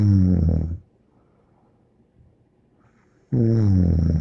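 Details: A dog named Bear snoring indoors: two loud, harmonic, droning snores, one at the start and one near the end, separated by about two and a half seconds of quiet breathing.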